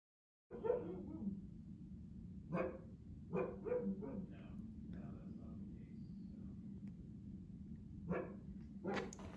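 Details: Siberian Husky, a young male that rarely barks, giving short harmonic barks and yips at irregular intervals over a steady low hum, with a few quieter whines in between.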